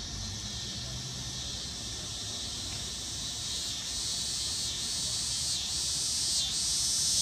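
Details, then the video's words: Single dog-day cicada giving its mating call on a summer afternoon in late August 2015 after landing on a deck umbrella in Lawrence, Kansas; a high, hissing buzz swells steadily louder toward the end, with faint low rumble beneath. "cicada mating call"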